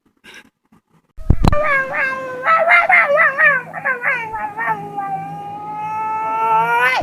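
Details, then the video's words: Dog producing strange vocal noises: after a sharp knock, a series of wavering, whining yodels that merge into one long rising tonal howl. "This dog makes crazy noises"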